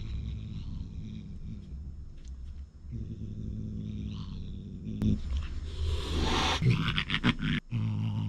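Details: Two house cats fighting, a six-year-old Russian Blue against a thirteen-year-old British Shorthair: a steady low rumbling growl runs throughout, broken near the end by a loud, breathy hiss and sharp scuffling bursts.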